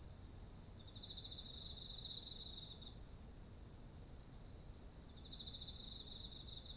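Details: Beside ripe rice in autumn, insects chirp in rapid beaded pulses, pausing briefly after about three seconds before resuming, with a lower trill overlapping and a steady piercing whine throughout over quiet ambient rumble.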